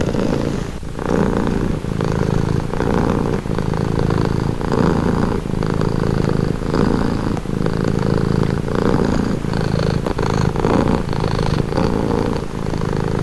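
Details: Cat purring offered as soothing relaxation audio: a deep, vibrating rumble that swells and eases with each breath, roughly one cycle per second, close and steady throughout.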